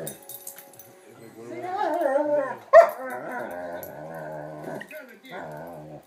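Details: Two dogs, brothers, a German Shepherd and an Amstaff puppy, playing together as the shepherd asserts himself as alpha male; wavering, harmonic whine-like moans, a sharp loud burst midway, then a long pulsed, grumbling tone and a shorter final moan.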